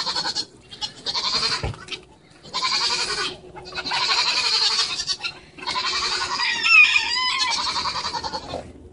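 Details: Young goat, head caught in a feeder, gives four or five strained, quavering bleats, each about a second long with short gaps; people laugh and talk in the background.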